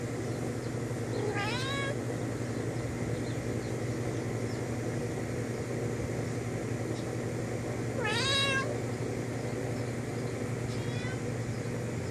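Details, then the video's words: Domestic cat meowing at a friend outside the window: two long, wavering, rising-then-falling meows about seven seconds apart, then a fainter short one, over a steady low hum. "Cat talks to friend outside window"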